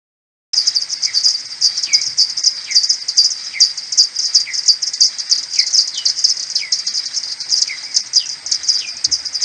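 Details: Common pipistrelle maternity colony returning to its roost in the morning on 21 May, recorded on an Audiomoth 1.1 and slowed ten times. Dense, rapid ticking pulses run throughout, with about ten downward-swooping social calls spaced roughly a second apart.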